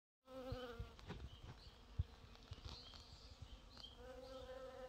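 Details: Bees foraging on purple dead-nettle (Lamium purpureum): a low, steady droning hum with a rich harmonic stack. It sounds at the start and again near the end, with soft clicks and rustles between, and faint high chirps above.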